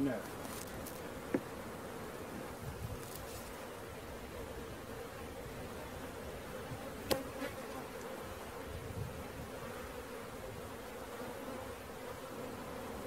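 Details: Honey bee swarm being caught: a steady, low droning hum holds an even pitch throughout, with a few sharp clicks and soft rustling over the continuous buzz.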